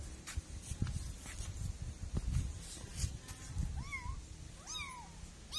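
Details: Kitten meowing twice near the end, short bent high cries that rise and dip, after several seconds of rustling and light tapping sounds.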